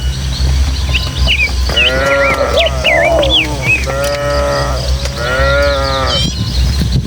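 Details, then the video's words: Tame village cattle, a herd of dozens, run excitedly along footpaths through hilly countryside toward their pen. Several drawn-out harmonic moos follow one another across a few seconds, with bird chirps and whistles above them and a steady low breeze rumble underneath. "Suara Sapi"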